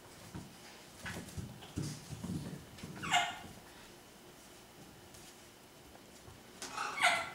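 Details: Six-week-old Miniature Schnauzer puppies playing, running and wrestling together; two short, sharp, high yips stand out, one near the middle and one at the end, over soft scuffling, thumps and pattering paws.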